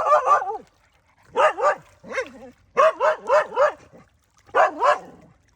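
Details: Domestic village dog barking to call fish to come and eat, a run of short yelping barks in clusters of two to four, about four per second within bursts, separated by brief pauses.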